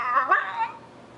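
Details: A dog yelps and whines for attention and affection while its owner pets another dog indoors: a short, tonal, wavering cry that slides downward over about a second, with a brief spoken word just before.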